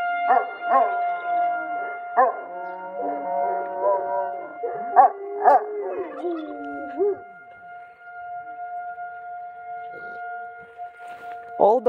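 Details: Several Central Asian Shepherd Dogs howling at sirens, wavering drawn-out howls sliding downward beneath steady high siren tones, with bursts of yelping calls and a fading siren after the howls stop.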